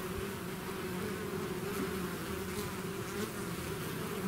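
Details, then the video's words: Constant, even hum of a bee swarm pouring out of its hive, dense layered buzzing with no pauses and no other sounds. "bees therapy swarm natural buzzing sound"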